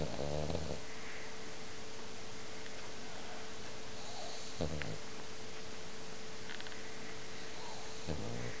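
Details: Snoring French Bulldog, loud sleeper, giving three brief soft snorting breaths spaced about four seconds apart, against a steady low hum and quiet room noise.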